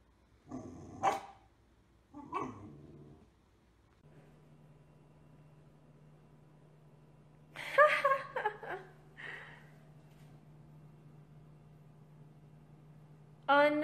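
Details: Pit Bull in a funny compilation, several separate barks and yelps scattered across the clip with a cluster of rapid calls in the middle, a steady low electrical hum running underneath.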